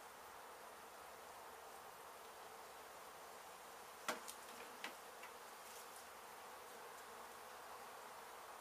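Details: Honey bees rescued from a hive hit by construction crews at an abandoned home in Mission, Texas; a continuous, uniform swarm buzz, with a few loud knocks clustered around the middle.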